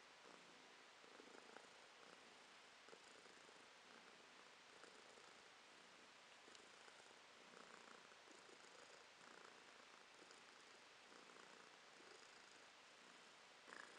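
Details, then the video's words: Domestic cat named Romashka purring in January 2023, a steady low rumbling purr pulsing in slow inhale-exhale cycles about every one and a half seconds, close and continuous with no other sounds. "Кошка Ромашка урчит:)"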